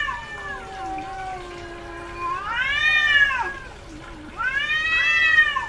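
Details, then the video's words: In-heat female domestic cat yowling: a sustained low moan followed by two loud, bright, arching wails, each about a second long and full of harmonics, separated by a brief dip. "SOM de GATO no cio - Barulho de GATA no cio Gatos miando"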